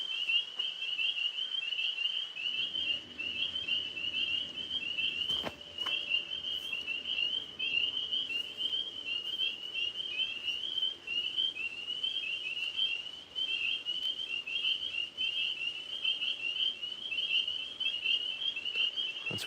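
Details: Tree frogs calling at night, most of them overhead in a maple tree: a dense, continuous high trilling chorus of many frogs, unbroken throughout, with a low hum, brief knocks and a person moving about.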